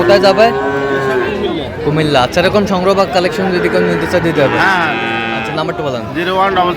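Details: Cattle lowing at Raniganj market, Dinajpur, Bangladesh, where Friesian and crossbred bull calves were traded on 15 January 2025; short, wavering moos follow one another closely over steady crowd talk.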